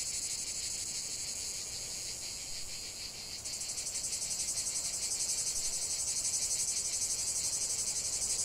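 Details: Many cicadas buzzing in nature, a high rasping drone pulsed quickly and evenly, which jumps in loudness at about three seconds and stays strong to the end.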